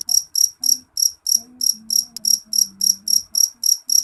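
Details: Loud, ringing chirps of a jeliteng cricket follow one another steadily, roughly three or four per second, high-pitched and piercing over a soft low drone.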